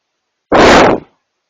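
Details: A bull elk, filmed up close, burps on camera: a single loud, rough, broadband belch lasting about half a second that cuts off abruptly, with silence before and after.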